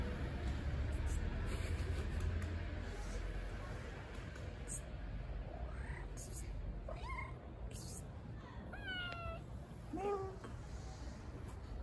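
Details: Hungry, blind stray cat living on the street, waiting for food, giving a few short rising meows spaced through the second half, one with a clear harmonic ladder, over a steady low hum and scattered clicks.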